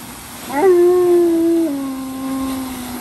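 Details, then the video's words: A single mournful cry from Tonka, a large Alaskan Malamute who is unhappy and crying like a baby: a sudden loud whine held steady for about a second, then stepping down to a softer, lower tone that trails off. "Giant Malamute Cried The Whole Time But He Lived"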